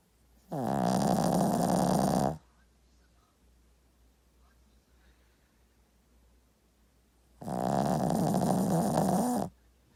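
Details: Two loud, droning dog snores roughly seven seconds apart. Each is a humming, buzzy breath of about two seconds, with quiet breathing pauses between them indoors.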